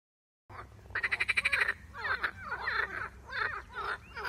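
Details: After a moment of silence, a marsh frog, recorded alongside a grass snake attack on it, gives one fast, ratcheting croak, then softer bubbling, quacking notes.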